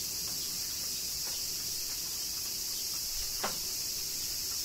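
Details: Summer rain in Kyoto, Japan, with cicadas droning continuously in a high, even, shimmering buzz; one crisp drip-like tap stands out late in the stretch.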